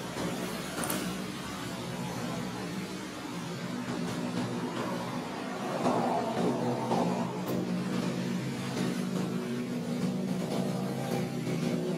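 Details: Steady vehicle rumble and background hum with faint speech or music, but no clear animal voice. A low engine drone fills the recording, with brief clicks and a slight swell in the middle.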